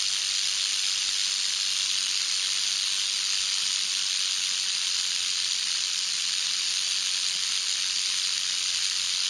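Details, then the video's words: A continuous, loud, hissing buzz from a canebrake rattlesnake (Crotalus horridus) rattling its tail on a dirt road in North America. The sizzling sound is steady and unbroken throughout, spread across high pitches. "Rattlesnake ASMR"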